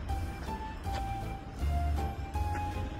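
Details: Soft music with a sustained mid-pitched tone over a low rumbling background, with no animal voice.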